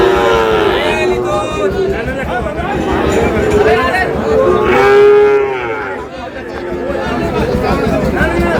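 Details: Sahiwal bull calves lowing at a crowded cattle market in Cox's Bazar, Bangladesh, 14 August: a run of wavering, rising-and-falling moos overlapping one another, with loud human shouts and market chatter throughout.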